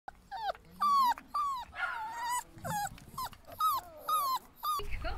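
Rottweiler puppies give a run of high, squeaky whines and short yelps, each cry bending up then sliding down. The calls come in quick bursts with brief pauses, sometimes overlapping with rougher, noisier sounds.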